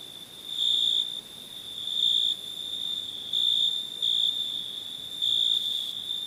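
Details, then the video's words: Nighttime crickets trilling without pause in a high, shrill tone, with stronger surges of about half a second recurring every second or so above the steady chorus. "Night ambience cricket sounds"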